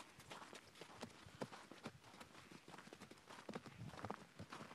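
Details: Hoofbeats of horses in Hereford: a steady run of crisp knocking clip-clops, roughly two or three per second, with a few louder strikes against a hissy outdoor background.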